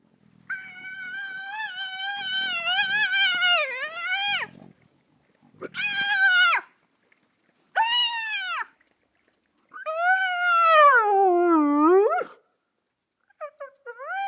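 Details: Spotted hyena in Namibia giving an odd, almost human squeal that morphs into howls: long wavering, harmonic-rich cries that dip and rise, in four bouts separated by short silences, with a faint steady high tone behind.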